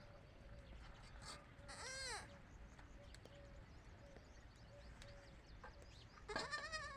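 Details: Baby goats on a goat farm calling when away from the adult goats: two quavering, rising-then-falling bleats about four seconds apart, the second louder, with faint shorter cries between them over low background noise.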